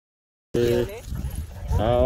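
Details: Whippet KAITO out walking among other dogs in Fukuoka, Japan: two short, high, steady whining tones with clear overtones, the second rising slightly, over a low rumbling background of movement and outdoor noise.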